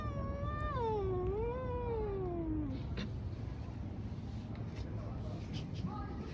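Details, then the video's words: A fighting cat on the street lets out one long, quavering caterwaul that rises and dips before sliding down and fading, followed by low street noise and a faint short cry. "Cats fighting on the street making strange noises. Cats Fight"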